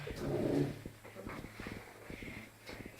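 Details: A Labrador puppy barking at its own reflection gives a short, gruff, growly bark, followed by softer grumbling sounds.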